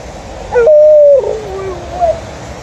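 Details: Alaskan Malamute waiting impatiently for its owner and a Golden Retriever. It gives a brief, level, hooting whine that dips at the end, followed by a faint rising squeak over a steady background hum.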